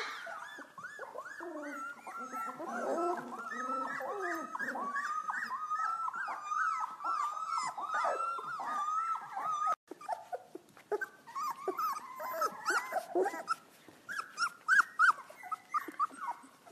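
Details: A litter of young Golden Retriever puppies finding their voices, several howling at once in overlapping high, wavering cries that rise and fall, with yips and whimpers mixed in and brief quieter gaps toward the end.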